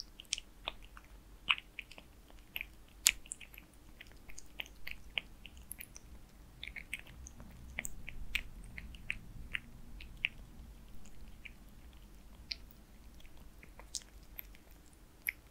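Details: Kitten Zayka eating Purina Perfect Fit wet food: steady wet clicks, smacks and chewing crackles, dense and irregular, several per second, over a faint low hum with no talking.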